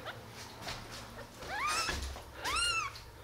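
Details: Two clear high-pitched mews from baby kittens eleven days after birth, one of a litter of five opening their eyes; each cry arches up then falls, harmonic-rich, with quiet room noise around.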